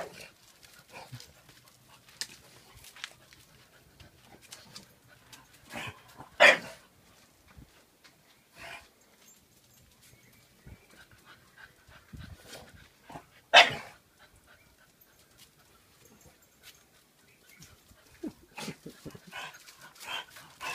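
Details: Playtime between two pet dogs, nine-week-old Bullmastiff puppy Thanos and one-year-old French Bulldog Saka. Two sudden, sharp barks stand out about seven seconds apart against quiet shuffling and faint background noise.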